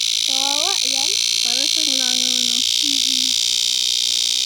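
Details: Cicadas in summer make a steady, high, hissing drone that never breaks, while a person's voice speaks briefly in the foreground.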